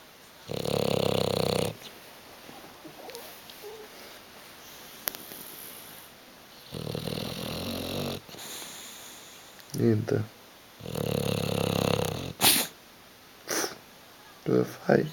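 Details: Sleeping bulldog Hugo snores heavily on a sofa, ignoring attempts to wake him; three long, rough snores recur every five seconds or so, while short bursts of a person's voice break in toward the end.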